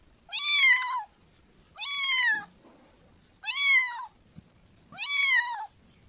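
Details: Kitten making four loud, drawn-out meows, each bright and harmonic with a slight rise then a downward slide, spaced about one and a half seconds apart in a quiet indoor setting.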